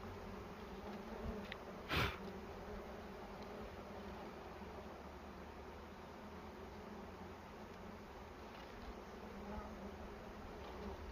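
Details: Bees at a nest in a cashew plantation during a honey harvest, giving a steady low droning hum with a sharp knock near the two-second mark and faint murmured voices.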